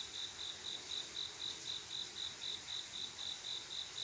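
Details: Late-night summer cricket singing to summon a mate: sharp, even pulses of a high ringing chirp, four per second, layered over a steady hissing chorus of insects.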